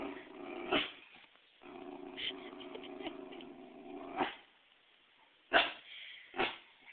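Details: Female Pembroke Welsh Corgi indoors, afraid of a volleyball brought in for herding, gives long rumbling growls lasting one to two seconds broken by sharp yips and a bark, with quiet gaps between.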